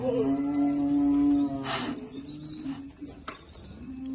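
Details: Girolando heifers, part of a group of 40 bred young heifers kept with a young Girolando bull in Passos, Minas Gerais, Brazil; one long, steady, low moo lasting over a second, then a quieter trailing low tone with faint background noise.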